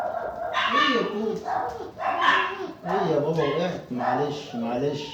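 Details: German Shepherd puppies: a series of nasal, wavering whines and yelps, each about half a second long, coming in quick succession, with a man talking softly nearby.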